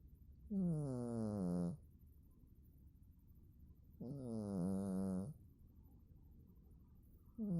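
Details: Sleeping domestic cat snoring: two long, low, droning snores of over a second each, about three and a half seconds apart, with the start of a third at the end. Near-silent background.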